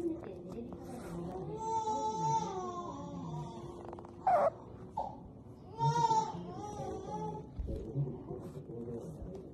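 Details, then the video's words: Otter indoors, giving high, wavering squeals with rich harmonics, some drawn out and bending up and down, others short bright bursts, spaced across several seconds; low room hum and a human voice in the background. "Pamper Funny Otters noise are so cute"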